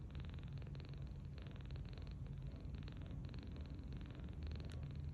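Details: Sleeping 39-day-old kitten, rescued in March 2025, lying belly-up on a bed and snoring softly: low rumbling breaths in regular bursts, with a faint brief click near the end.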